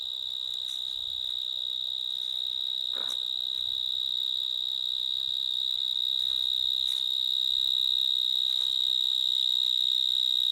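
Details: Vineyard mole cricket (Gryllotalpa vineae) singing in a vineyard in Gironde, France, in the evening, among many others: a steady, high, pure buzzing trill held unbroken throughout, with faint clicks and rustles behind.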